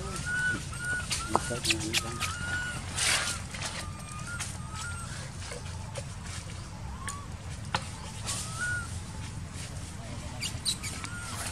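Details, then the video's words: Baby monkey living in an archaeological park, crying while its mother does not care for it; short whistled squeals that dip and rise, repeated irregularly every second or two over a steady low rumble and scattered clicks. "Poor Baby Monkey Crying"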